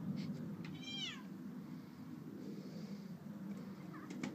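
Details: Bengal kitten playing on a patio: one clear meow about a second in, sliding downward in pitch with bright harmonics. Faint short squeaks follow near the end over a steady low outdoor rumble.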